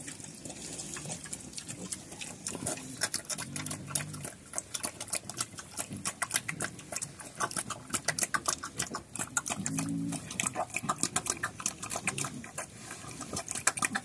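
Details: Pigs known locally as Chrouk Kandorl, living on a farm in Cambodia and running around, give short low harmonic grunts in two bursts among a dense clatter of rapid clicking and tapping from movement or feeding.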